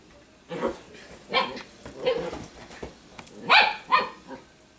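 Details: Female Italian Greyhound that dislikes wearing dog apparel, growling and snarling to be left alone by another dog; a run of short, harsh, rasping bursts, the loudest two near the end.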